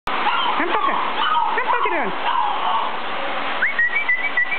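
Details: Puppies being socialised to a vacuum cleaner go wild, howling and barking: several sliding, falling yelps and whines crowd the first two seconds over the steady roar of the running vacuum, then a thin whistled tone near the end.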